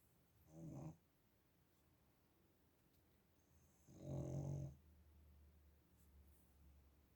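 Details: Snoring pug named Zhorik: two deep, rattling snores about three seconds apart, the second longer and louder, over a faint steady low hum.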